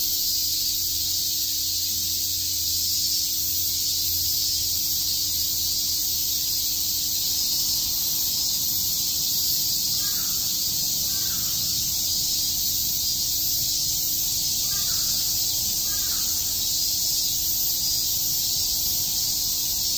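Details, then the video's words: Cicadas in Shakujii Park, Tokyo, on a summer day, keeping up a continuous piercing high hiss for the full length, with a few faint short lower chirps from other callers midway and a low hum below. "Cicada chirps"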